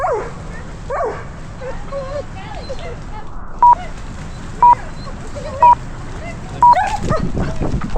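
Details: Female Belgian Malinois wearing a 360 camera while climbing a tree and leaping into water: high, wavering whines and short yelps that bend up and down in pitch, then four evenly spaced electronic beeps about a second apart.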